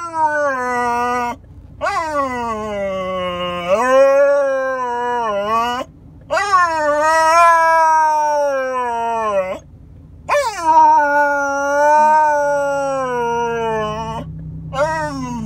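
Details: Female Alaskan Malamute puppy, four months old, making playful talking noises: four long, drawn-out woo-like howls. Each slides up and down in pitch, separated by brief silences, with no other sounds.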